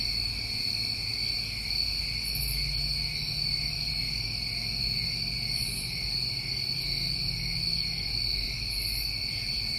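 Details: New England summertime crickets in a dense chorus: steady, unbroken high trilling in several stacked pitches, with brief higher buzzy bursts at roughly three-second intervals over a low rumble.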